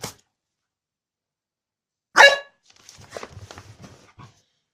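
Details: An angry, pissed-off bulldog lets out a single loud, harsh bark after near silence, followed by a run of soft low snuffling and shuffling noises indoors.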